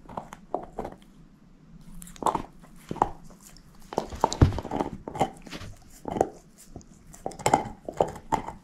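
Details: Crunching and gnawing from Moose, a female shepherd mix working on a bone inside a small room. Sharp cracking bites come in irregular bursts roughly every second, the loudest near the middle, with no voices.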